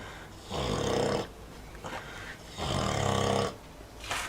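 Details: Sleeping Vietnamese pot-bellied pig, the oldest sow in a breeder's pen, snoring: two long rasping, rumbling breaths about two seconds apart, each roughly 0.8 seconds, with quiet gaps between.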